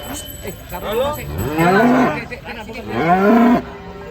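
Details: Cattle at a cow contest in Kediri, Indonesia: two long, loud, drawn-out moos, each rising then falling in pitch, the second at about three seconds, with faint background noise from the crowd.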